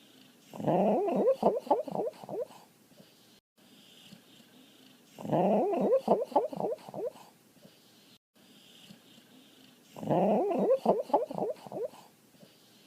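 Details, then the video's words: Dog making funny noises indoors: three similar bursts of rapid, warbling whine-like yelps, each burst lasting about two seconds with quiet gaps between, notes bending up and down. "Funny dog noises"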